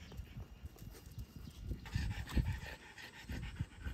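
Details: French Bulldogs, a mother and her offspring, out on a walk at Miharu Dam in Japan; quick, breathy panting puffs with irregular spacing and a brief rise in hiss partway through, outdoors.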